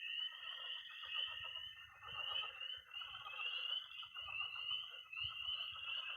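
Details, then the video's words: Frogs and toads calling at night in early spring in Missouri, a dense high peeping trill swelling and easing about once a second, layered over grainy lower croaking from a pond. "Relaxing sounds. 20 minutes of toads and frogs, sound only!"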